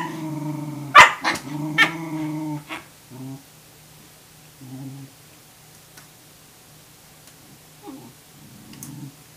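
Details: Tamaskan puppy Wave challenging a Norwegian Elkhound over food lets out a quick burst of three or four loud barks over a deep growl, then short, fading growls and a soft grumble to finish.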